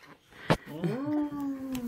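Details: Alaskan Malamute named Tonka howling indoors alongside a baby girl who is warming up to him and mimicking him; a single sustained, steady howl rising briefly then holding level, preceded by a sharp click, with faint room noise.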